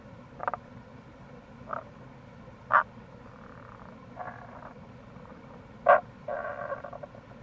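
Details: April recording of Tago's brown frogs near a gorge, Kamo River, Itoshima, Japan: scattered croaks and short pulsed calls every second or two, two louder notes, set against steady stream sound.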